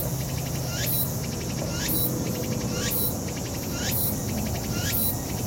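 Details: A Tsukutsukuboshi (Walker's cicada) sings a shrill, buzzy upward-sweeping phrase repeating about once a second over low outdoor rumble, in a park on 7 September 2019.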